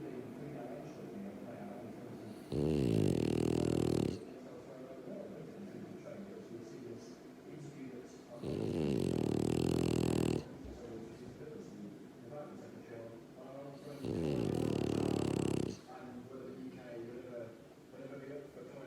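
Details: Dog snoring in deep sleep, three long buzzing snores about every five and a half seconds, each under two seconds, with soft breathing in between and a calm indoor background.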